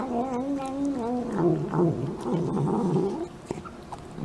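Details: Domestic cat making a weird noise: a drawn-out, wavering yowl lasting about three seconds, with the pitch wobbling up and down and then sliding lower before fading into quieter scattered sounds.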